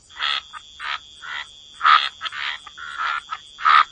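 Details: Wetland frogs croaking at the waterside, about seven short grating croaks spread over four seconds with quiet gaps between, a faint steady high tone underneath.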